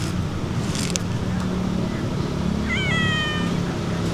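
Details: Stray cat being fed outdoors, giving one clear meow near the end, a rising then level tone with stacked harmonics lasting under a second, over a steady low hum of traffic.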